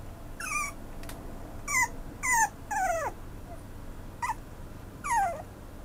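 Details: Maltipoo puppy whimpering in a series of high, descending whines, about six drawn-out cries over several seconds with short pauses between, some sliding down sharply, over a quiet indoor background.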